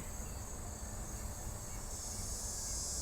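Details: A dog-day cicada, a hot-humid-summer singer in the US Midwest, gives a steady, high, whiny drone, its timbals vibrating too rapidly for any audible vibrato, swelling louder toward the end.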